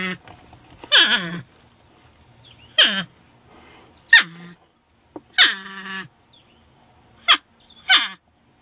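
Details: North American porcupine found in a shed, vocal about its reluctance to leave. Harsh descending whines and cries in bursts roughly every one to two seconds, each sliding down in pitch, with quiet pauses between.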